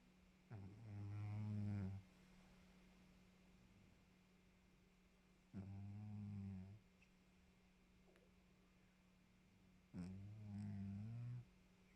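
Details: Snores from Maxou, a domestic cat resting after its exercise: three low droning breaths of about a second and a half each, evenly spaced roughly every four to five seconds, with a constant background hum between them.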